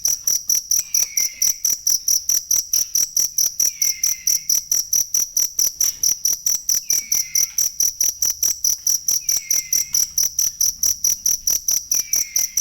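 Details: Shrill, regular cricket chirps meant for teaching cage songbirds, about 136 pulses a minute with a bright high ring, accompanied by a quiet downward-sliding whistle recurring roughly every two and a half seconds.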